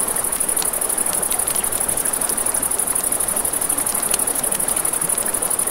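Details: Crickets at night beside a river, with a crackling campfire: a steady, very high pulsing trill runs the whole time over a broad rushing hiss of river water, and sharp pops and snaps of burning wood.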